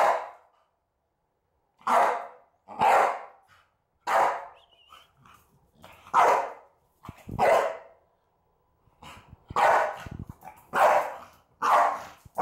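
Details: An 11-month-old male Staffordshire Bull Terrier, about 28 kilos, barks when a container of cinnamon is opened: loud, harsh single barks about every second, with short quiet gaps between them.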